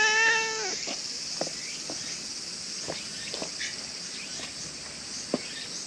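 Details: Brown female stray cat in Japan, approaching and being petted: one clear, harmonic-rich meow right at the start, slightly falling at its end, then quiet except a steady high insect drone and faint scattered clicks.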